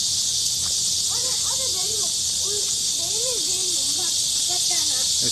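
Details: Midsummer cicada chorus: a loud, continuous high buzzing drone with no breaks, while people talk in the background with rising and falling voices.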